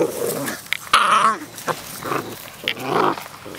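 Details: Puppies wrestling in play outdoors: low growls, then a sharp whining yelp with a wavering tone, followed by more short growling bursts.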